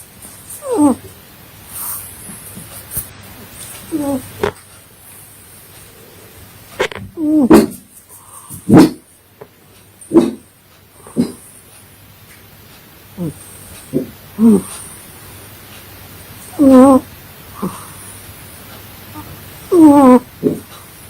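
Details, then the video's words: Domestic cat snoring while asleep, a run of short tonal snorts and squeaky harmonic breaths, some rising, others falling, spaced irregularly a second or two apart over a faint steady hum. "My funny cat snoring while sleeping"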